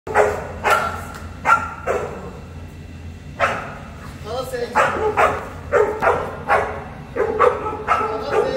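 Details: Boerboel, a South African Mastiff, one of the pair Enzo and Diva living in Egypt, gives deep barks in short bursts, some doubled, with people talking in the background.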